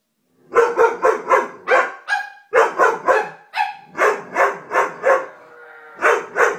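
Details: Doberman barking in a rapid, uneven series of short, full-bodied barks, with brief whining tones slipped between bursts and a short pause midway.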